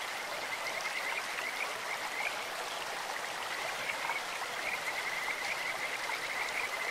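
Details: Kajika frogs in a stream: short high trills early on, then a longer rapid trilled run toward the end, partly blurred by loud, rushing water.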